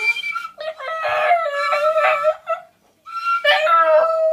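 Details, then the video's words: Pet Border Terrier howling along in a drawn-out, wavering, tuneful voice while a girl encourages it to sing. Two long, rising and falling howls are separated by a brief pause. "Border Terrier singing"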